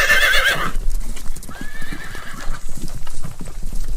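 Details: Horse whinnying: a brief high, wavering neigh opens, then a faint tonal squeal follows amid steady low hoof clip-clop and stamping.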